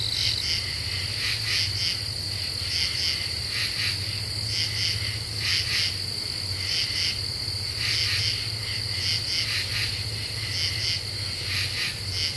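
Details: Common true katydids calling after dark in Eastern U.S. deciduous woods, July 2013: many scratchy, pulsed phrases in clusters, trading back and forth, over a constant shrill insect tone and low background hum.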